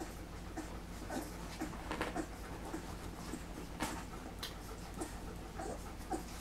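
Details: Puppies three weeks old feeding together: scattered clicks and slurping bursts with occasional thin, bending squeaks, and a constant low background hum underneath.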